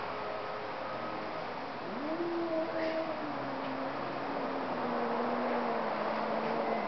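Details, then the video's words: Two cats talking to each other: a single long, low, moaning yowl swells up sharply, then holds and slowly sinks over about five seconds, over a steady background hum. "Two cats talking"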